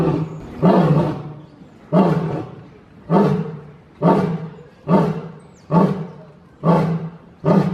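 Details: Lions roaring: deep, pulsing grunts repeated about once a second, each a short booming burst strongest in the low range, fading between pulses.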